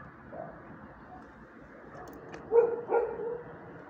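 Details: Mutts barking: a couple of faint early yaps, then two loud, sharp barks in quick succession about a third of a second apart over low steady background noise.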